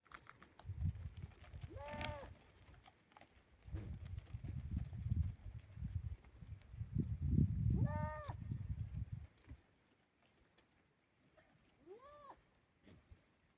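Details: Grazing goats give three separate wavering bleats, at roughly two, eight and twelve seconds, the last one quieter. Between the calls comes a steady low crunching and shuffling from the herd.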